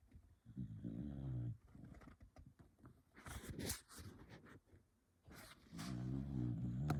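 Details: A dog snores in its sleep, giving two deep, buzzing snores about five seconds apart, with quieter rattling breaths and sharp clicking noises between them.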